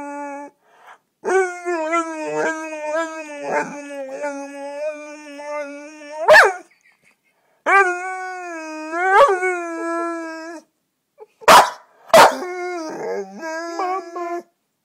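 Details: Sorcha, a pet dog indoors, talking to get attention or to be taken out: long sustained howl-like moans with wavering pitch, several drawn-out phrases broken by short sharp yelps, with a person's voice between.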